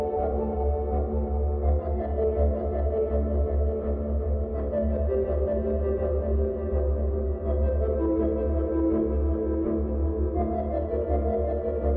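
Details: Soft ambient music of droning low tones and gentle sustained chords, steady throughout, with no animal voice heard.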